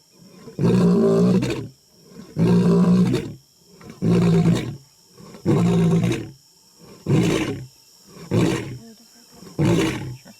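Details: A lion, recorded up close, gives a series of deep, rumbling roars, each about a second long, repeated every second or so.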